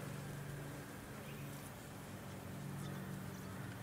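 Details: Swarm of Amenia blowflies gathered on fallen palm fruit, Sunshine Coast, Queensland, April 2023: a steady, low droning hum from many wings, overlapping and constant, with faint background rustle.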